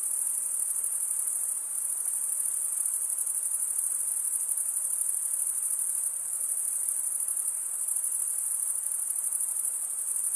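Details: Crickets keep up a constant piercing high-pitched chirping chorus, fast and evenly pulsed, steady in loudness, with no background noise, voices or other animals.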